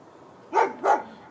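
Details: A dog next door gives two quick, sharp barks about a third of a second apart on a Tuesday night, recurring, noisy barking.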